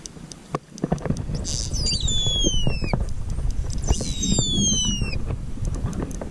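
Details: Distressed pilot whales filmed underwater on body cam during a mass stranding rescue at Macquarie Heads, Tasmania. Two clear descending whistles, each about a second long with strong overtones, over steady water noise and clicks.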